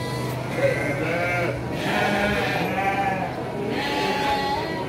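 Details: Garut ewes bleating at the Andir livestock market, Indonesia, on 5 April 2021; long quavering, tremulous bleats from several sheep overlap one another, over steady market chatter.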